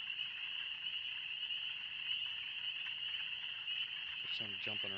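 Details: Deafening peeper chorus in the Oxford Woods on a warm spring day: many spring peepers calling at once in a steady shrill high drone, with a brief human voice near the end.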